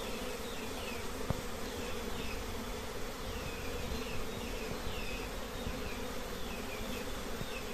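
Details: Honey bees at a simple nest holding many colonies: a steady, dense droning hum throughout, with faint high chirps overhead and a single sharp click near the start.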